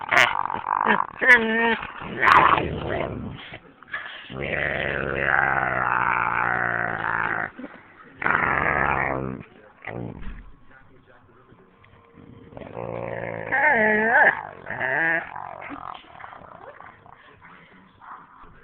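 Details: Two dogs, a husky and a boxer, playing indoors while the boxer tries to sleep on a lap; bursts of rough growls and drawn-out, wavering whiny vocalisations, with a person talking and brief music between them.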